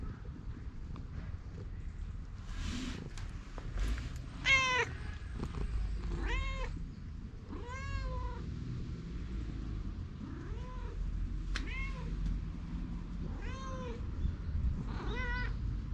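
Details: Stray cat outdoors in Japan, filmed on a GoPro after it was followed and bit the person: a series of short harmonic meows, about seven spaced over the clip, some rising then falling, over steady low rumbling background noise.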